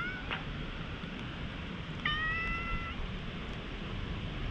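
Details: Stray cat, somewhat wary, in a high-altitude park, rubbing its head against the person and letting itself be petted, recorded on a GoPro; a short meow near the start, then a clearer drawn-out meow of about a second, over steady low outdoor rumble.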